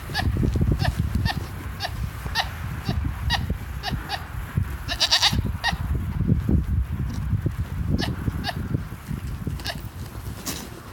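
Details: A female goat making chirping sounds: short, sharp, high chirps repeated every half second or so over steady low rumbling background noise.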